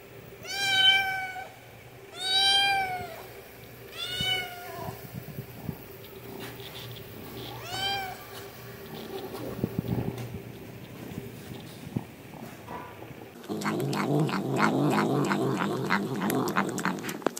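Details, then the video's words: Small cat asking for food with a run of short, whining meows, four close together at the start and another near eight seconds, then a long stretch of loud rustling, scratchy noise. "Cat meowing (High Quality Meow Meow Sounds)"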